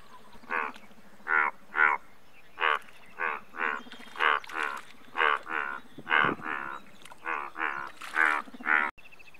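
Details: Indian bullfrog, largest frog species in India, calling in a dense series of short, pulsed croaks, often in quick pairs, over a low steady hum with occasional faint bird notes.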